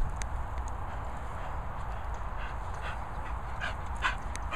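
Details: Princess Poppy, an English Bull Terrier in a lively, fresh mood, lets out sparse brief yelping whines, clustered toward the end, above constant low-pitched background rumble.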